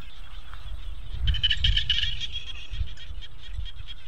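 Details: Evening frog chorus by rice fields: a burst of quick, high pulsed croaks swells midway and then fades, set over a steady low rumble of background noise.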